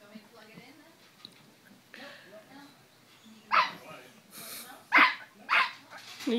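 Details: A 9-week-old male French Bulldog-Pug mix puppy, playing while moving around inside a pillow slip, gives a run of sharp, high yapping barks.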